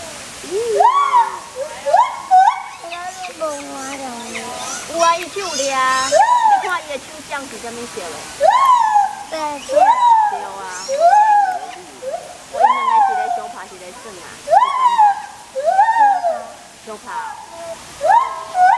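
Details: White-handed gibbon calling loudly, recorded 02/11/2021: a long series of whooping hoots that rise and fall, each about a second long and coming in quick succession, some linked into a climbing chain, with voices talking in the background.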